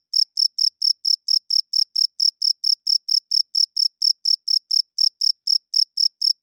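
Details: Loud night-time chirping of a cricket, a rapid, even series of sharp high pulses, roughly four per second, with nothing else audible in the background.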